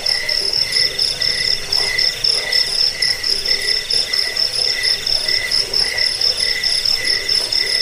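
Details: Dense cricket chirping played to repel rats, soothe sleep and teach songbirds; a shrill rapid trill drones on while lower chirps recur about four times a second, with soft low pulsing underneath.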